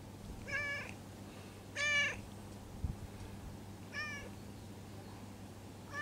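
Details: Stray cat giving quiet, small meows while its lower back is patted; four short harmonic mews spaced about 1.5 seconds apart, the second longest and slightly wavering, over a low steady hum.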